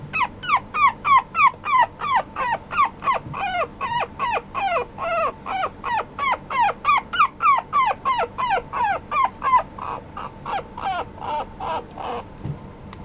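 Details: Male apricot Toy Poodle pup yelping insistently, a fast even run of high, slurred squealing whimpers roughly three each second, softening slightly near the end, over a faint constant hum.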